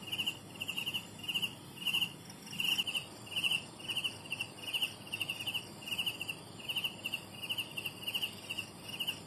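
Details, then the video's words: High pulsed chirping of young crickets, short trilled bursts following one another about every half second, slightly uneven spacing, over a quiet background of other buzzing insects. "Bunyi Anak Cengkerik"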